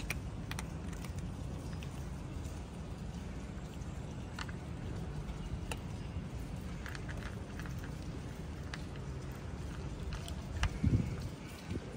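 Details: A low rumble like passing traffic, with scattered clicks and taps and no animal sound heard.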